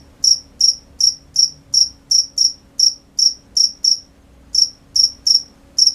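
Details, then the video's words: Night-time cricket chirping, sharp high-pitched pulses repeated about two and a half times a second, with a brief pause near the middle before the rhythm resumes; background otherwise nearly silent apart from a soft low hum. "The sound of crickets at night"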